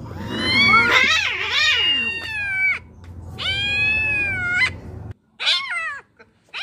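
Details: Domestic cat meowing: several drawn-out, wavering meows with rich harmonics, some rising then falling, separated by short pauses, the last ones shorter and clipped, over a faint low hum.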